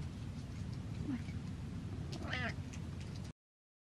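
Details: Butters, a domestic cat, stares and meows: one short, nasal meow around the middle of the recording that rises briefly and then falls. A steady low rumble runs underneath, and faint clicks occur before it.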